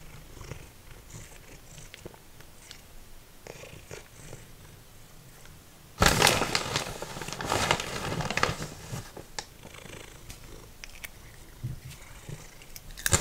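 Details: A cat called Simba, formerly feral, purrs softly while eating dried minnows like potato chips; a low rumble is heard early, then loud crackling crunches of fish being chewed take over after about six seconds.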